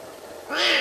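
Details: After a moment of near quiet, a sick lion cub lets out one brief, raspy, rising mew, a contact call made while searching for its mother.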